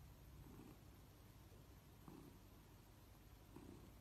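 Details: Pet cat purring softly during petting; low, faint rhythmic rumble with breathy bursts roughly every 1.5 seconds over constant hiss.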